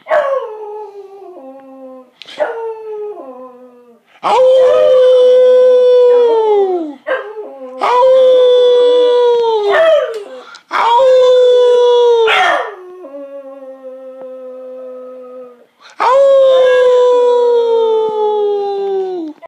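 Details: Beagle howling: loud sustained tones held steady and then dropping at the end, coming in repeated long phrases between quieter, shorter yelping notes that step downward.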